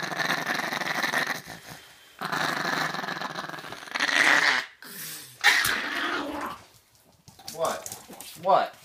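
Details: Male pet Chihuahua grumbling as it is dried off: rough, harmonic growls in bursts of one to two seconds, separated by gaps, under frequent chatter from a man.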